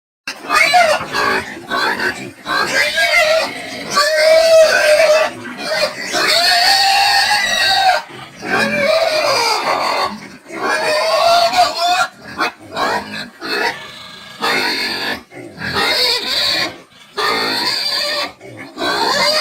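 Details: Domestic pig of a medium-sized, bristle-less, dual-purpose meat-and-lard breed suited to field rearing, screaming: loud harsh shrieks in rapid bursts separated by brief gaps, some pitched high and wavering, continuing throughout.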